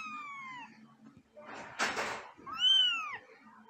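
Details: Angry cat letting out a falling, whining meow, then a sharp breathy hiss, then another long arched meow, against quiet indoor background.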